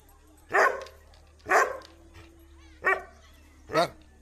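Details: A 7-month-old Doberman barks four times, short deep harsh woofs spaced about a second apart.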